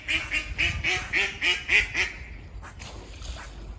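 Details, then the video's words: Squirrel near a farm, one of several seen climbing and running on a walk, giving barking calls: about eight sharp, nasal, harmonic barks about four per second, then fainter notes in light outdoor background noise. "Squirrel barking calls"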